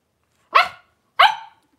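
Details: Three-week-old blenheim Cavalier King Charles Spaniel puppies from a litter of five, born around New Year's, wrestling and playing in an indoor puppy pen; two short, bright, harmonic yips about half a second apart.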